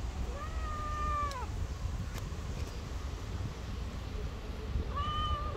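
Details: Black street cat with green eyes gives two drawn-out meows, the first long and level before dropping away, the second shorter after a pause, over a constant low outdoor rumble.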